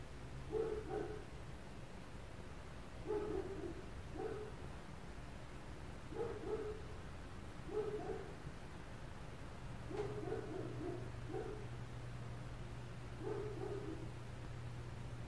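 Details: Constant barking from neighbours' dogs in an apartment setting: a long series of muffled double and triple barks repeating every one to two seconds, with a low droning hum underneath.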